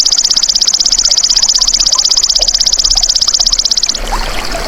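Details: Golden grasshopper, recorded as natural sound: a high, shrill, rapidly pulsed buzzing trill held steadily for about four seconds, then stopping abruptly, leaving faint scattered rustles and background noise.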